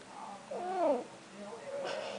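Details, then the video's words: Snuggles, a pet cat, in a bout of talking: one drawn-out, arching meow with stacked harmonics rising then falling, followed by softer murmuring sounds and a person speaking to the cat. "Talking Cat"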